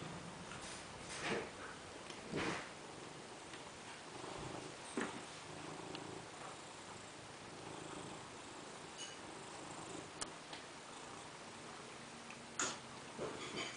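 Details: Fat domestic cat sunbathing indoors, purring softly and steadily with a low, even rumble. A few short clicks and rustles break in now and then, over a constant background hiss.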